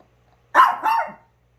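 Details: Chihuahua from a multi-dog home with Onii-chan and Wolf, an old dog among them: one sharp, mid-pitched bark split into two quick bursts, then silence.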